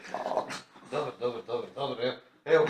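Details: French Bulldog; whine; seeking attention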